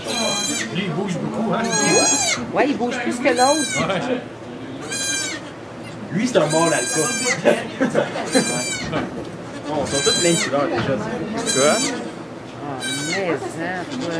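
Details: Goat in a sugar shack in Quebec, Canada, during the birth of two kids, filmed on an iPod Touch. Loud, wavering harmonic bleats repeat roughly every one to two seconds, with French conversation running underneath.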